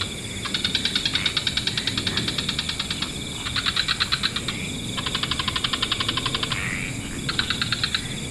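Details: An evening wetland frog chorus. Long trains of fast, buzzy pulses come in four runs, separated by brief pauses and a quick upward-sliding note, over constant hissing background noise.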